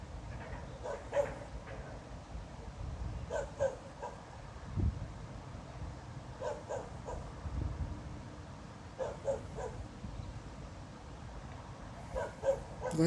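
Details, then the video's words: Dog barking at night, 02:28 on 26 November 2016, for half an hour with no apparent reason. Distant, echoing barks come in bursts of three or four, repeated every few seconds over a steady low rumble. "Снова беспричинно лает собака."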